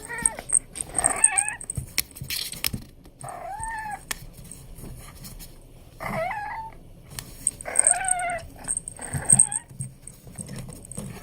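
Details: Abyssinian kitten meowing while playing, short high mewing calls with bending, wavering pitch, about five separate mews spread across the clip, with soft rustling and thumps between them.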